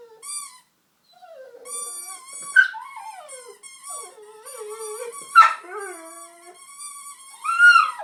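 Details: Honey the dog sings with wavering, sliding howl-like notes that rise and fall, mixed with squeaks from a toy squeaker she tore out of a toy. Occasional sharp yips cut through the sound.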